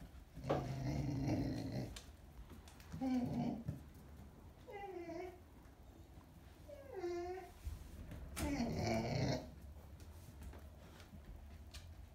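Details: Pet dog Buzz making noise while holding a toy in his mouth: muffled growly grunts and nasal, wavering whines in several bursts, some pitched moans rising and falling, spread across twelve seconds indoors.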